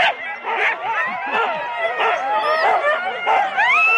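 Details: Many Huskies from four-dog sled teams at the Rendlesham start, January 2016: overlapping yelps and wavy whining howls, ending in a long, rising high-pitched whine; recorded to analogue cassette.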